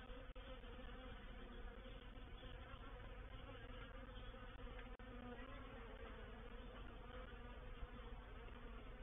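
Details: Honey bees of a reproductive swarm settling into a swarm trap at Painted Peacock Manor, 04/07/21; thick, unbroken hum of countless wings, even in loudness, broken only by two brief clicks.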